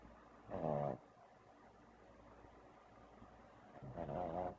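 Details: A sleeping pug snores: two rasping, throaty snores with a rattling buzz, spaced about three seconds apart, with a quiet pause between them.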